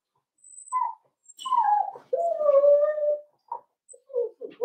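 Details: Whimpering from four-week-old Cavalier King Charles Spaniel puppies in an indoor pen: a series of plaintive whines, one long steady cry sagging in pitch, followed by short broken whimpers, while the puppies meet other dogs and try puppy mash.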